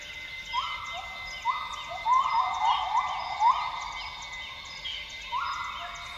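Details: Dawn chorus of Northern grey gibbons in Borneo's rainforest, Tawau Hills Park, Sabah. Repeated level whoops climb into a quick cluster of rising bubbly notes around two to three seconds, backed by constant shrill insect buzzing.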